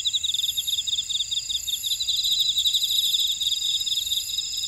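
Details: A buckwheat field in Ora-dong, Jeju City, South Korea, full of grass insects: high, shimmering continuous trills with rapid pulsed chirps rising and falling in loudness, a constant insect chorus.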